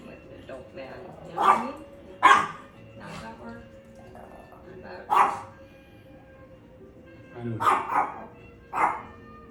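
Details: Chihuahua yapping in short, sharp barks spaced irregularly, a couple close together, over a low steady background hum.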